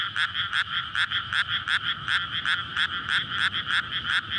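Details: Frog chorus from a flooded rice paddy in May, recorded at night before rice planting, males calling in courtship; dense overlapping croaks pulse about three times a second with a steady bright trill underneath, on a SONY PCM-D100.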